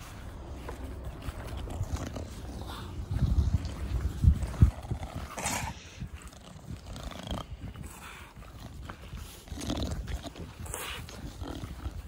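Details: Pet Bulldog, a male dog, cuddling with its owner in a garden in 2021, breathing with the breed's typical snuffling 'fugo fugo' snorts: low, rough breaths repeated about three times a second, heaviest midway, over quiet outdoor background.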